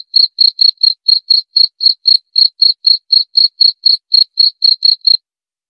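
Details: High, ringing cricket chirps, around twenty brief pulses at a steady rate of roughly four a second, ending in quiet.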